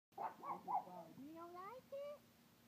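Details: Pet pug that does not like crawfish gives drawn-out whines that rise in pitch, after a person speaks at the start.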